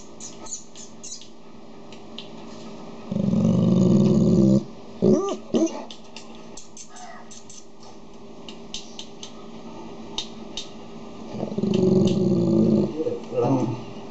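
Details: Dog sounds as a Golden Retriever calms down a Labrador indoors: two long, deep, rumbling growls, one about a second and a half long and a later one of similar length, with short clicks and scuffles in between.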